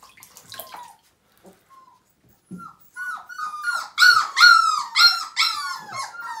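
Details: Distressed Siberian Husky puppy, five weeks old, at its first bath in 2017, from a litter of nine. Quiet scattered squeaks build into loud, piercing whimpers, each dropping in pitch and repeated about every half second.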